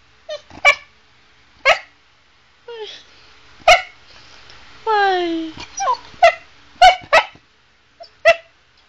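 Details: Pet Chow Chow Sugar, a female, vocalizing to her owner about what she wants: sharp yips every second or so, broken by a drawn-out descending whine, with a person's voice asking what happened.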